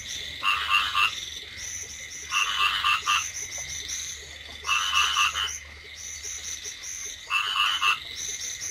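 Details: Rice field frogs croaking in a wet paddy during drizzle, harsh pulsed calls delivered in separate bursts about every two seconds over a soft steady background hum.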